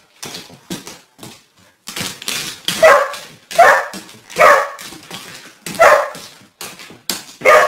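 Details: Dog hunting a deer in a garden: quieter yips at first, then louder rough barks in uneven bursts, some doubled, spaced under a second apart.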